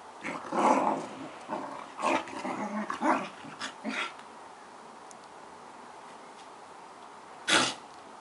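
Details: Two collie-cross dogs in a play fight, uttering rough growls and a short bark-like outburst early on, then a quiet pause before one loud sharp sound near the end.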